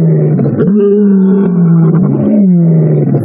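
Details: A lion roars on a sunset safari drive in the bush after rain. The deep, drawn-out moaning roar lasts about three seconds, rising slightly, holding steady, then sagging at the end, over a low background rumble.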